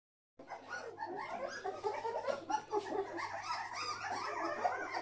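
An English Springer Spaniel makes a steady run of whiny, grumbling vocal sounds over a low hum.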